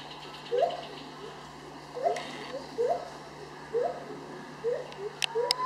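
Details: Gibbons singing at Dusit Zoo in Bangkok, Thailand: rising, hooting notes about every second, each sliding upward, with a few sharp clicks and a thin rising whine near the end.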